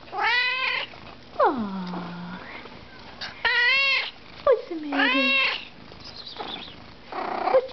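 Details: Indoor Siamese cat answering its owner: several long harmonic meows, some drawn-out, falling into a low moan, mixed with the owner's questioning voice asking what it is telling her and whether it is hungry.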